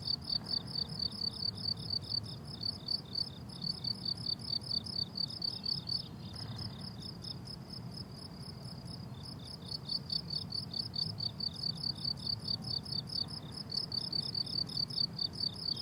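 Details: Cricket chorus on a blooming summer meadow, shrill pulsed chirps streaming continuously over sixteen seconds, briefly thinning to a steadier trill midway before resuming the quick rhythmic pattern, with faint low background rumble.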